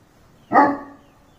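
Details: Gaddi dog, a Himalayan sheepdog, gives one loud, short, hoarse bark that fades quickly into quiet.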